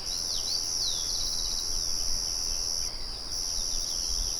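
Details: Crickets in the countryside, with a windmill murmuring in the background, keep up a steady high, unbroken trill that briefly dips near the three-second mark, while small birds add short sweeping chirps early on.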